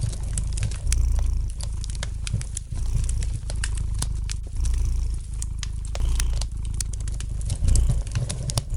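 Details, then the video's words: Gentle purring of a domestic cat by a lightly crackling fire, the deep continuous rumble rising and falling in loudness in slow waves, overlaid by frequent dry crackles and snaps from the fireplace. "Relax to the gentle purring of the cat and the light crackling of the fire in the fireplace!"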